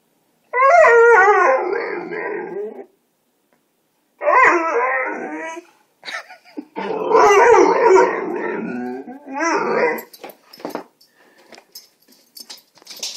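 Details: Clover, a pet dog, alerting to a neighborhood cat in the yard: long wavering howls and yips with strong harmonics come in four bursts, separated by short pauses, then fade into scattered clicks and rustling.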